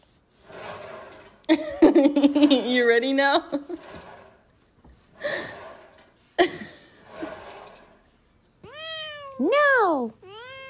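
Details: Domestic cat in a compilation of funny cat moments. Near the end it gives a few loud, drawn-out meows that rise and then fall. Human voices and a raspy, wavering cry come earlier.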